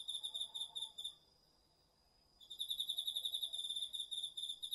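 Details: Autumn night chorus of crickets and other insects in a garden vegetable plot, captured with a DR-40X recorder: bright rapid chirp pulses, a brief pause with only a faint sustained whine, then dense chirping again until the end.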